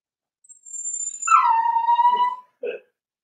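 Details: A single long, plaintive whine from four-week-old Cavalier King Charles Spaniel puppies in their home pen, starting high, then sliding down and holding steady for about a second, ending with a short soft yelp.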